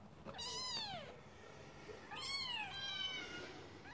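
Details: ['Two drawn-out, arching mews from Scottish Fold kittens, each about a second long, the second followed by a brief fainter cry, against a soft continuous background noise.']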